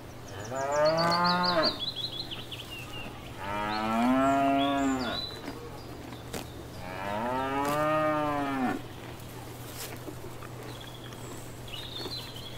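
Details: Cows grazing in a field, with three drawn-out moos spaced a few seconds apart, each rising slightly then falling at the end. Faint birdsong is heard between the calls.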